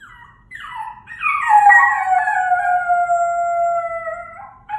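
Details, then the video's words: Dog giving a coyote-like howl: short yipping rises at first, then a loud sustained howl held over three seconds, gently falling in pitch with strong overtones, ending with a brief yelp. "Dog howling like a coyote"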